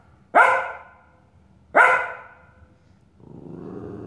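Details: Nick, an Australian Shepherd puppy, barks at his mirror reflection: two loud, bright barks roughly 1.4 seconds apart, followed by a low, rumbling growl-like sound.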